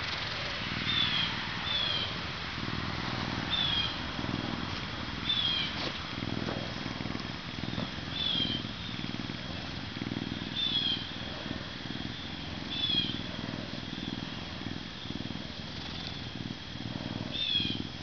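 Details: A captive male Canada lynx (Lynx canadensis), a zoo-born animal ambassador weighing 40.5 pounds and bulking up for winter, purrs in a steady, low, pulsing rumble with faint thin chirps above.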